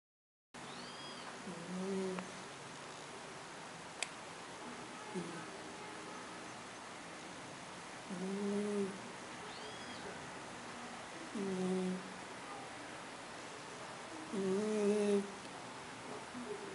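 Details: Snoring cat: low, droning, harmonic snores come in short bursts about every three seconds, each paired with a faint higher squeak, over a steady quiet hiss.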